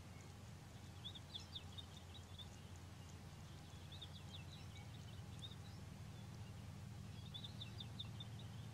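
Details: African wild dog, also called painted wolf: three bursts of rapid, high, bird-like twittering chirps, spaced a few seconds apart, over a steady low rumble like an idling engine.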